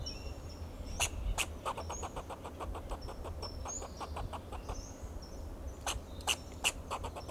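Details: A fox squirrel in a Monterey pine tree in Del Monte Forest, California, gives sharp, clicking alarm chucks in an uneven series over a low traffic rumble.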